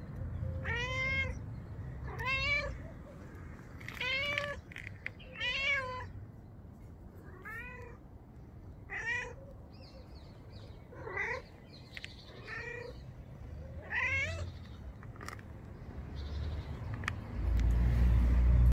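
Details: Black-and-white cat giving around ten clear, tonal meows, each bending up and down in pitch, in loose irregular bursts with pauses, over low background hum and a loud rumbling noise at the very end.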